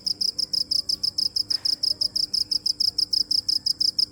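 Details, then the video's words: Shrill cricket chirps repeated in a quick, very regular pulse, roughly five per second, with no break throughout and only a faint low background. "Cricket chirping"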